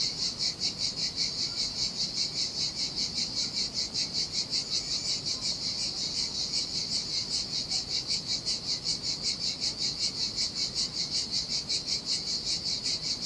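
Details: In the summer heat on a desolate Sardinian beach, cicadas keep up a steady, shrill, rhythmic buzz that throbs roughly 2.6 times a second throughout, over a quiet low rumble of waves.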